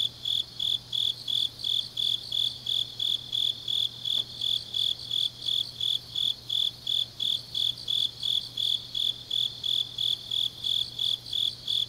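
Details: Grass insects on a deep autumn night in Changnyeong, Korea, trilling in high, evenly spaced chirps close to three per second, continuous and unbroken, with a faint steady hum and one brief click.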